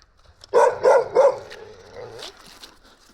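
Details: Stray Gampr dog found in Abovyan, Armenia, gives three quick, evenly spaced barks in a rapid run, then falls quiet while faint rustling continues.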